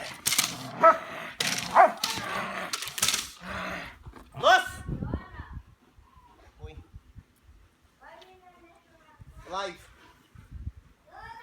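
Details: Bullet, a Belgian Malinois at bite work in the back yard, lets out several loud, harsh barks in the first seconds, then falls quieter while human voices carry on talking over faint movement noise.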